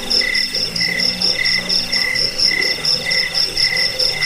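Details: High, jingling cricket chirps in short pulsed bursts roughly twice per second, layered over a fainter lower trill; recording intended to repel rats, lull listeners to sleep and teach caged birds.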